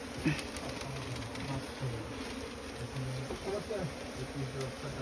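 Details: Asian honey bees (Apis cerana), small honey bees with a nest in straw, droning continuously while a man speaks in Bengali, asking for smoke to be applied to the nest.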